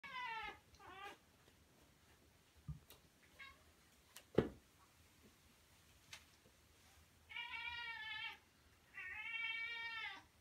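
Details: Devon Rex cat hiding in a warm, just-finished dishwasher indoors. Two short wavering meows open the recording. Quiet clicks and knocks follow, then two longer, drawn-out meows close together near the end.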